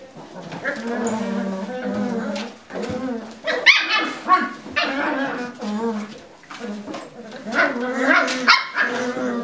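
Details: Lagotto Romagnolo puppies scuffling in their puppy pen, giving a stream of high yips, whines and squeaky growling barks with rising and falling tones, overlapping one another, with human voices mixed in.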